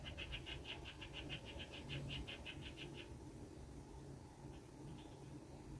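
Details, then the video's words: Walnut being nibbled by a red squirrel on a balcony, a fast, even run of sharp clicking gnaws for about three seconds, then near quiet with a faint low background hum. "Eichhörnchen knabbert an einer Nuss"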